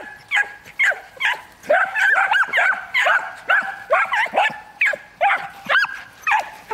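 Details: Miniature Wire-haired Dachshunds, a trio of year-old dogs being trained for hunting and stimulated to bark persistently. Quick, excited yelping barks come in bursts, several voices overlapping, with brief gaps between volleys.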